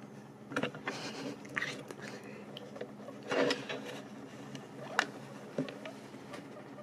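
Guinea pigs crunch and nibble on dried apple, sharp little bites over a low room hum.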